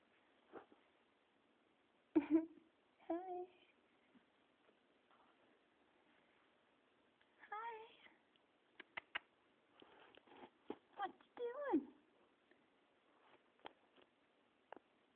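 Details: Pet cat indoors after tumbling off a cat tree, giving a few short rising-falling meows with clear harmonics amid people talking and laughing in a small room.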